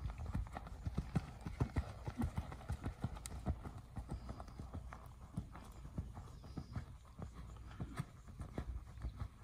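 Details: Hoofbeats of a seven-year-old castrated purebred Lusitano horse: dull, low thuds in an uneven clip-clop, roughly 97 per minute, with a faint hiss of background noise.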